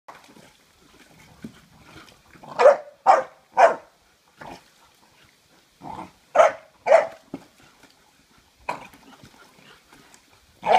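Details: Six-month-old American Staffordshire Terrier guarding an object at a swimming pool, giving short sharp barks in bursts: a run of three around the third second, a pair near six and a half seconds, then single barks toward the end.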